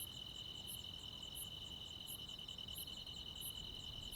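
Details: A summer-night cricket and insect chorus from the countryside. An unbroken high buzzing trill carries a fine pulse, punctuated by crisp, very high chirps spaced about two-thirds of a second apart.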